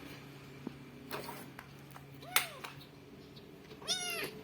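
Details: Domestic cat meowing after being called by its owner indoors: a short arched meow midway, then a longer rising-falling meow near the end, with faint clicks, a low background hum and quiet speech around it.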